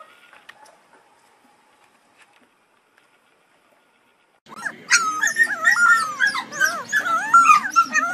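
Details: Puppies learning to howl: near silence with faint clicks at first, then several young voices break out together in a chorus of wavering yips and little howls overlapping densely until the end.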